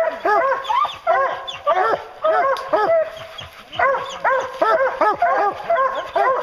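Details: Hounds on a bear hunt give a chorus of rapid, overlapping barks, each a short arched yelp repeated in bursts, with brief pauses between volleys.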